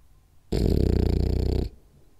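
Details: Rolly the French Bulldog napping indoors, one loud, pulsing, low rattling snore lasting just over a second, framed by quiet breathing.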